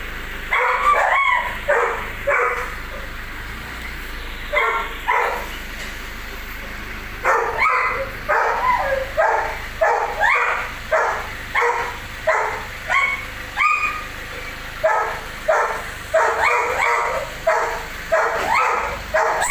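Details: Belgian Malinois barking in short, sharp, harmonic bursts, repeated at an uneven pace of roughly one and a half per second, with people talking and calling commands nearby.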